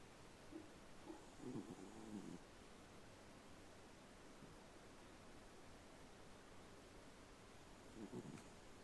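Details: Elderly female Shiba Inu napping, snoring softly: a rough, breathy low snore near the start and another near the end, with a quiet stretch of steady room hiss between them.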